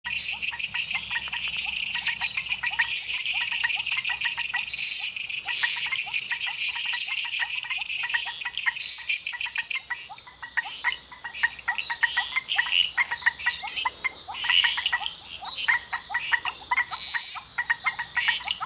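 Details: A dense chorus of frogs in Costa Rica, with many high, rapid, pulsing calls overlapping into a steady shimmer.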